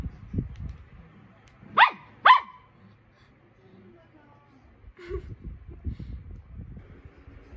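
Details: Poodle puppy calling for attention gives two sharp high barks close together, followed by a short soft yip, over low rumbling household noise.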